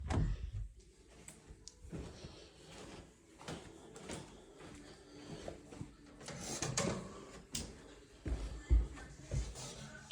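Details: Soft background music with indoor knocks and door-like bumps, and no animal voice heard.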